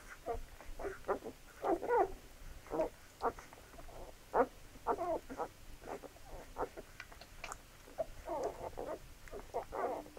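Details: Labrador Retriever puppies at feeding time give a rapid, irregular string of short squeaky yelps and whines, some bursts clustered together, with soft pattering and shuffling between calls.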